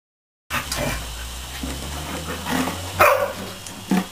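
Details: Border Collie puppies playing under a fine hose mist set up to cool them on a hot day; short high yips and whimpers, with a sharper yelp near the end, over the steady hiss of spraying water.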